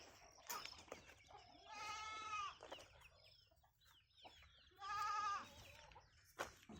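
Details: Goats at a farm: two drawn-out, wavering, nasal bleats, each lasting under a second and about three seconds apart, with chickens clucking and chirping in the background.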